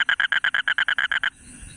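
A toad gives a rapid, crackling run of harsh pulses, about eight per second.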